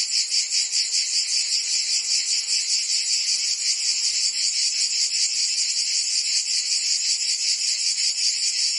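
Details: Cicadas singing in summer in Provence, France: a dense, continuous high buzzing chorus with a steady rapid pulsing throughout, no other sounds standing out.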